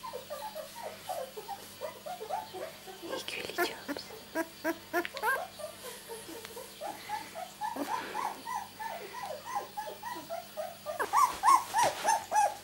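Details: Two-week-old miniature Labradoodle puppies from a litter born 31 July 2009 give a dense chorus of tiny high squeaks and whimpers, many callers overlapping, a few brief speech-like noises midway and a louder whining run at the end.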